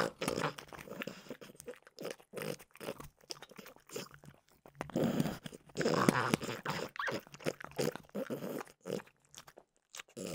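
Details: Continuous crisp crunching from French bulldog Mimosa chewing Trader Joe's peanut butter flavored dog treats, dense clicks and smacks broken by brief pauses, loudest in a sustained run around the middle.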